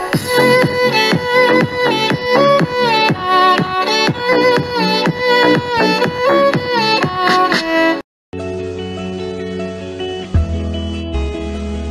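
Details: Lively plucked string music breaks off into a short silence, then a different bowed string piece follows, with no animal sound.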